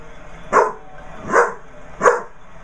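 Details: A young Basset Hound puppy barks at a basset hound birthday card, giving three brief, punchy, bright, slightly breathy yaps, evenly spaced about three-quarters of a second apart, in a quiet indoor setting.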